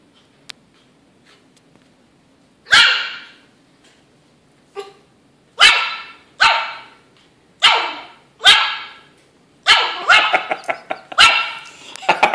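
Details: Yorkshire Terrier puppy, 11 weeks old, fighting a rope toy: sharp high yappy barks in short bursts, single barks spaced about a second apart, then a rapid cluster of yips and barks near the end.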